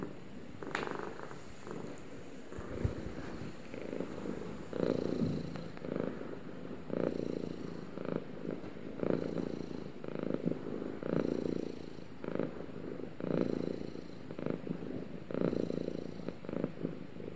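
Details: Pair of pet cats purring together: continuous low buzzing rumble swelling and fading in repeated cycles about every two seconds, a brief sharper sound near the start, otherwise quiet room.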